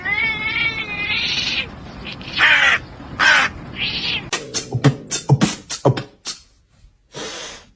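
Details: Cat giving a stacked, buzzy meow followed by short bright mews. A run of sharp clicks and knocks then rattles by, with another brief call at the close.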